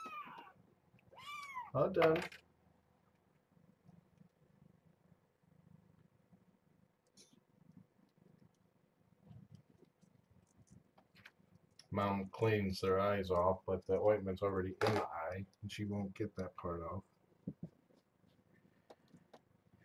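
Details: Kitten of a litter of seven born June 21 to Nala Se, a stray taken in at Purrfect Pals, during morning breakfast formula feeding: one loud, high meow that rises then falls, followed by a long stretch of human speech.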